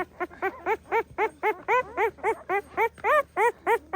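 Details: Pahadi dog mother keeping watch over her puppies: short, even yips repeated about four times a second, each a brief arched whine, with a second fainter voice weaving between them.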